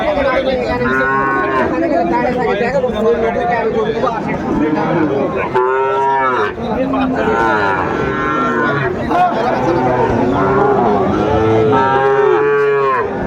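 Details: Sahiwal bull calves at a cattle market in Sylhet on 29 June 2024, many animals lowing in overlapping, drawn-out harmonic moos, some rising and falling, over steady crowd chatter and bargaining voices.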